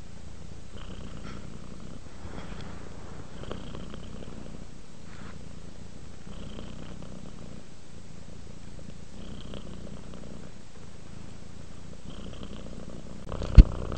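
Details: Sleepy, relaxed cat giving a soft, low purr in slow breathing cycles about every three seconds, each exhale brightening slightly, ending with a sharp tap.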